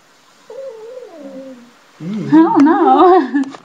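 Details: Pet cat that has picked up a few words at home, 'talking' with a drawn-out, wavering meow like 'noooo': a soft mid-pitched first cry, then a louder, rising-and-falling yowl with strong harmonics, after a person's brief speech.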